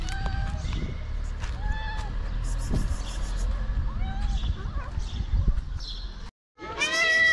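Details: Homeless cats in Morocco wanting food; short, high meows scattered through the clip, a brief cry near the start and a louder rising one at the end, mixed with rustling and a few spoken words.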